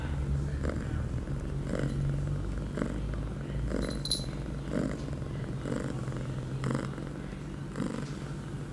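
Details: Purring female cat Pia, eight months old and in heat, September 23, 2011, two hours after starting birth control: a constant deep rumble swelling with each breath about every second, plus a brief faint high tone midway.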